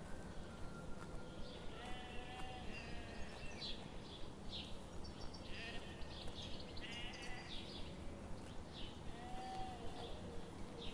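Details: Grazing sheep in a sunlit morning forest give scattered wavering bleats, some overlapping, set against continuous low background noise and a soft repeating tick.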